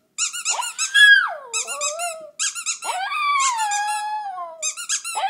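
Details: A Shih Tzu indoors sings along to a squeaky toy: long wavering, gliding howl-like tones that slide down and hold, interleaved with bursts of rapid, shrill, repeated toy squeaks.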